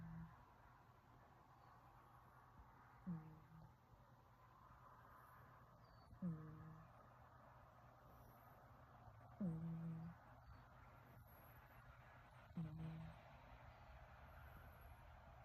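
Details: Hector the cat snoring while asleep: four soft, low nasal snores about every three seconds, each a short humming tone with faint overtones that slides slightly and fades, over a quiet steady background hum.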